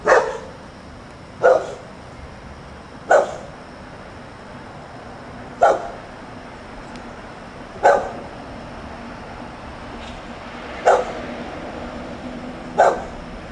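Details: Dog outdoors on a Sunday morning while its family stays inside, giving single sharp barks spaced roughly every one and a half to three seconds over steady low background hiss.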